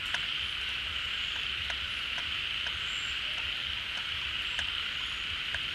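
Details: A mass of frogs at a refilling pond in the rainy season, having emerged from hibernation holes, producing an even, shrill, continuous chorus with soft intermittent clicks and a brief whistle near the middle.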